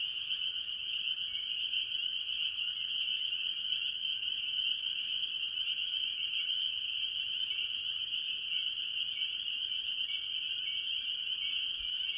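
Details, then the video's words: Mostly spring peepers, joined by other tree frogs, call from a farm pond early in the year: a steady, piercing chorus of countless high peeps running without a break. "Relaxing Tree Frog Sounds - Spring Peepers"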